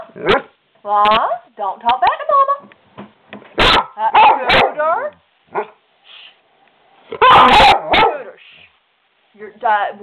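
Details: Skooter, a pet dog, talks back to his owner and won't be quiet. Occasional sharp barks and drawn-out harmonic vocal sounds are mixed with a woman's scolding voice throughout.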